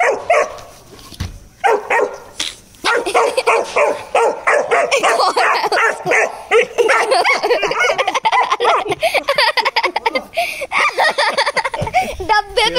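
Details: A 4-month-old Rottweiler, angry at a bucket, barks and growls in rapid, uneven bursts, high-pitched and yappy.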